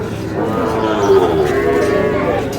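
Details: At the opening of Ambari market in Dinajpur on 11 May, where Sahiwal bull calves are traded, a steady, low bovine moo holds for about two seconds while buyers and sellers haggle close by.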